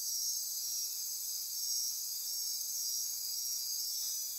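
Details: Midnight insects in Costa Rican rainforest on the Osa Peninsula near Corcovado National Park, their chorus an unbroken high-pitched shimmer of trills and buzzes, thin bright whistles threading through it.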